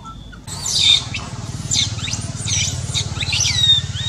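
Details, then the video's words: A baby monkey in pain with a hurt eye cries in high, shrill, sweeping squeals that rise and fall in quick succession, with a steady low hum beneath. "Supper cries...Baby | Very painful in eye, So pity adorable baby monkey"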